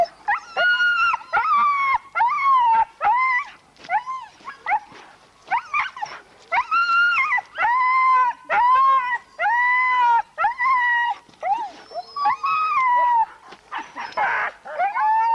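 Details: Huskies at a November 2001 race weekend in the Forest of Dean, England, giving loud harmonic howling yelps in rapid bursts, roughly one per second, with a brief rougher burst near the end.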